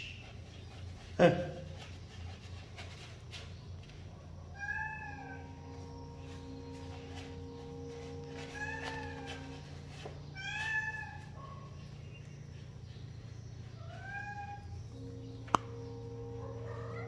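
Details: Small kitten repeatedly mewing, short arched cries clustered in the middle and end, one sharp knock near the start, low steady hum throughout.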